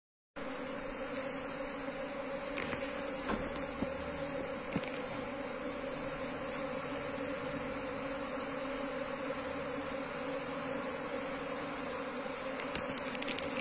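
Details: Wild Asian honey bees (Apis cerana) buzzing as a wild colony is moved into a hive box; a steady, dense hum with strong low tones runs throughout, with a few faint clicks and taps.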